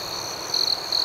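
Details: Night crickets outdoors: a constant high, thin whine gives way to two sharp, bright chirps, each roughly a fifth of a second long, about a third of a second apart.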